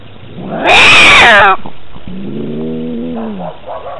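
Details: Domestic cat fighting, heard through a cat collar camera: an explosive harsh screech lasting under a second, then a steady low drawn-out growling moan and brief fading murmurs.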